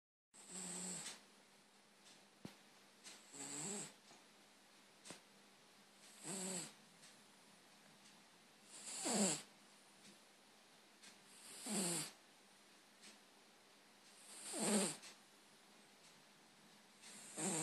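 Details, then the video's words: Stray ginger cat, male, snoring while asleep indoors; soft rasping breaths come in bursts roughly every two and a half to three seconds, each a rough hissing swell with quiet gaps between. "Ginge the snoring cat"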